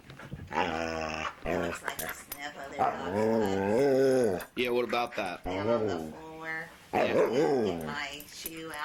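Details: Talkative foster dog indoors making long drawn-out whining, moaning vocal sounds with harmonic wavering pitch, several rising and falling howl-like phrases in sequence, with brief human voices around.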